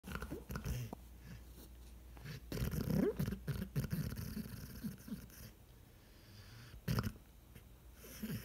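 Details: Redbone Coonhound asleep on a couch in the morning, dreaming; low rumbling snores and snorts with small muffled whimper-like sounds and rustling.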